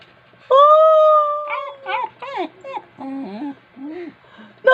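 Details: A pet dog said to be angry and restless opens with a sustained, level howl, then breaks into a run of short rising and falling whines and yips, one after another, in a quiet room.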